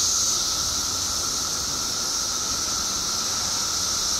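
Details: Periodical cicadas by the billions in Illinois, out after 17 years underground, fill the air with a continuous shrill hissing wall of sound over a constant lower whining drone.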